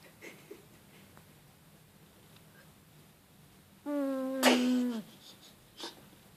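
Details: A cat snoring cutely while it rests. After a quiet stretch comes one whistling, tonal snore of about a second, then a soft snort. Faint steady room hum runs underneath.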